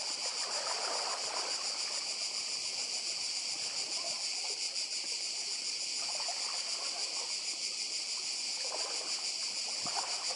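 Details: On Croatia's Badija Island, cicadas keep up an unbroken piercing buzz, faintly throbbing, while waves murmur and trickle softly underneath.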